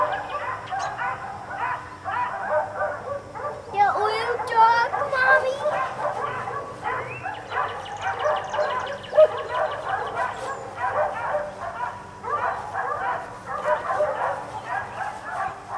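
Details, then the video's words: Four dogs left outside all day bark almost without pause: dense overlapping volleys of sharp barks, with a burst of high yelps and whining cries near the middle, then steady barking to the end. "4 Dogs Barking Allday"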